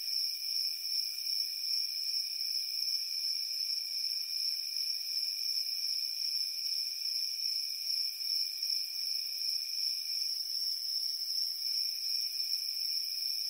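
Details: Nighttime cricket chorus in summer: an evenly sustained, high-pitched shimmering trill with faint rhythmic pulsing and a weaker lower band of trilling, with nothing else audible.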